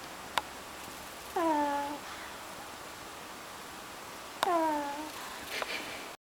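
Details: Sleeping pug snoring indoors: two whistling, nasal tones with stacked overtones, each sliding downward for about half a second, roughly three seconds apart, with a couple of sharp clicks in a quiet room.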